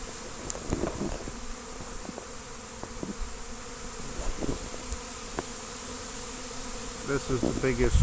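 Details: A Western honey bee swarm arriving at a house in Destin on Good Friday 2025 fills the air with a dense, steady, low droning hum, first mistaken for an airplane spooling up to take off.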